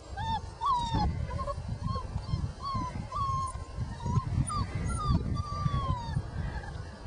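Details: Outdoors, five-week-old puppies whine once they notice someone is there: a steady run of high, arching whines, some bending upward, over a constant low rumble of wind or handling noise.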